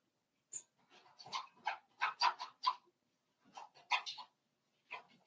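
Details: Five-week-old Cavalier King Charles Spaniel puppies in Daisy's indoor puppy pen give a run of short, high yelps and whimpers, about a dozen in quick bursts over five seconds, with brief pauses between clusters.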